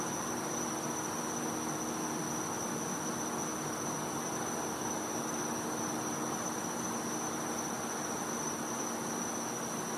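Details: A cicada in a Florida home's back yard on a winter night gives a continuous, even, piercing high note for the full ten seconds, layered over steady broadband hiss and faint low humming tones.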